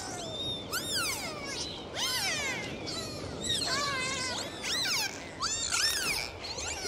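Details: Dolphins recorded underwater on a dive, with a dense series of high, sweeping whistles that rise and fall in arcs and loops, several overlapping, against a steady hiss of water.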